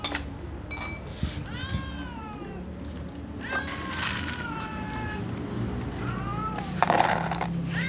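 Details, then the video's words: Several cats, including a tom, a ginger and a silver cat, meowing pitifully at meal time: a few overlapping drawn-out falling meows among clatter and low background hum. "little cats , tom cat , ginger cat , silver cat meows pitifully at meal times"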